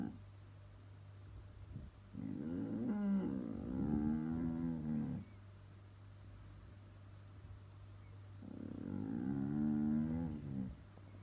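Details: Pet Border Collie, indoors, staring fixedly outside, gives a moo-like growling vocalization: two long, low, harmonic moaning growls, about three seconds and two seconds long, over a steady low hum.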